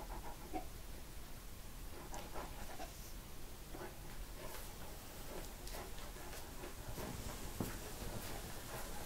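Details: Eleven-month-old Central Asian Shepherd Dog named Kazan panting steadily, with quick rhythmic breaths over a constant low background hum.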